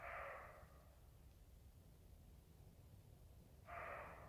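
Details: Roe deer barking: two harsh, hoarse barks, one at the start and one near the end, separated by about three seconds of quiet with low background rumble.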